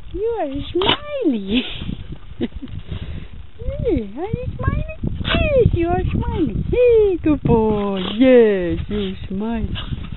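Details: Australian Cattle Dog, a red heeler making a submissive smile, producing a dense run of yodel-like whines that swoop up and down, ending in longer wavering moans; soft background rustling throughout.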